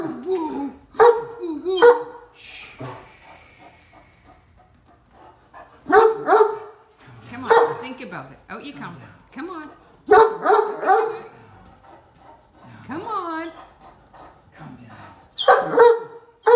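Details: A deaf, talkative Great Dane stuck on a golf cart complains because he will not back up or jump off. Drawn-out, wavering moans and groans alternate with sharp single barks while a woman coaxes him.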